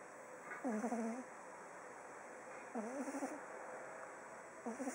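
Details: Oliver the pug snoring in his sleep on day 19. Three rattling, wavering snores are spaced about two seconds apart, each brief and nasal with a quivering quality.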